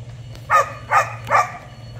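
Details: Giant Schnauzer pup named Tux, on his first attempt at ratting during morning exercise, gives three sharp barks spaced about half a second apart, with a steady low hum underneath.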